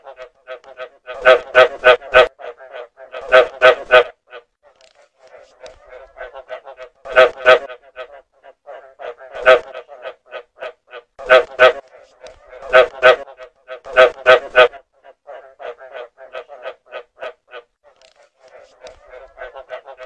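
A frog gives loud bursts of rapid, rasping pulses, with quieter pulsed croaks in between.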